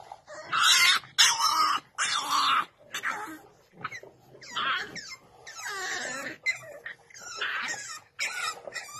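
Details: Vocal French Bulldog making a run of loud, rough, groaning grumbles in uneven bursts, each about half a second to a second long, with brief pauses between them.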